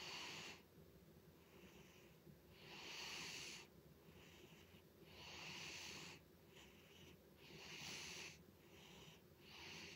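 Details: Butters the cat snores loudly: wheezy, hissing breaths, strong and rough, repeating roughly every two to three seconds, with a shorter faint breath between some of them and a low room hum underneath.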